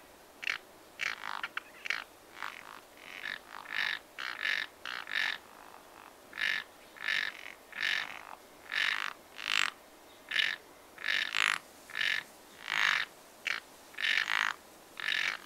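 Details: Frogs at a pond in spring, croaking in a dense chorus: many overlapping nasal, buzzy croaks follow one another every half second or so, some louder and nearer, others fainter, with a soft background hiss.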